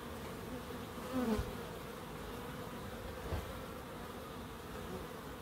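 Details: Buzzing bees in a small wildlife garden in Crookes. An even droning hum carries throughout, with a louder close fly-by swelling just after one second and a softer pass near three seconds.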